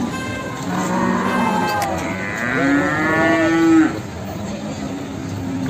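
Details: Jumbo Simmental cattle at the Sragen animal market: one long, loud, harmonic moo that rises and swells, then cuts off sharply, with fainter lowing and crowd murmur before it.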